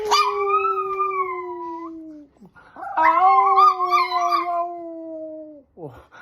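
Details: Milton, a Chihuahua, gives two long, high, tonal howls that slowly slide downward, the second wavering, as his owner urges him to howl.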